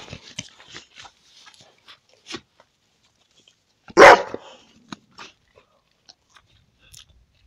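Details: American Staffordshire Terrier told to bark on command: a single loud, sharp bark near the middle, with a few soft clicks and faint noises scattered around it.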